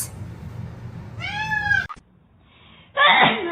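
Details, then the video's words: Domestic cat giving one short meow that bends upward then falls, followed by quiet hum and a burst of a person speaking near the end. "cats meowing"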